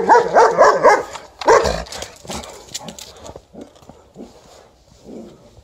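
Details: A White Swiss Shepherd barks even before seeing an approaching Alaskan Malamute: a quick run of loud, harsh barks, then quieter, scattered yaps.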